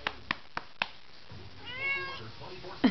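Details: Domestic cat that enjoys being spanked: four sharp pats land about a quarter second apart, then the cat gives a single drawn-out, harmonic meow lasting roughly half a second. A brief low vocal sound closes the clip.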